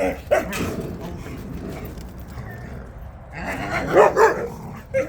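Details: Jindo dogs out on a walk: a single sharp bark at the start, then a quick burst of two or three barks near the end, with a person talking and calling to the dogs throughout.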